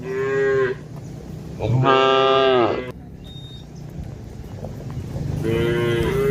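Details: Several cattle being chased away as a herd, calling in quick succession: a short moo, a longer rising-then-falling one, and a third beginning at the end.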